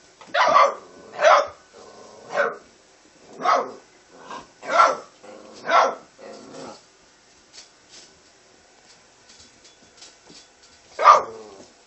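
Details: American red nose Pit Bull Terrier puppies barking indoors: a run of short, high, yappy barks spaced about a second apart, then a pause with faint rustling and one last sharp bark near the end.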